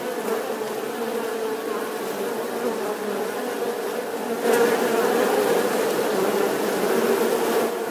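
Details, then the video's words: Continuous bee buzz, a thick droning hum with a clear fundamental and stacked harmonics, growing slightly louder midway with a brief crackle. "Tiếng kêu của con Ong || The sound and picture of the Bee"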